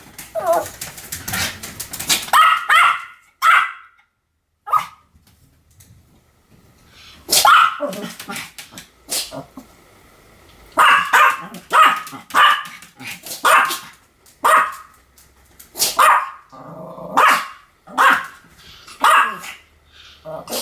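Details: Pomeranian giving a busy run of yappy barks mixed with whiny yips and whimpers, overlapping and uneven, against a noisy indoor background.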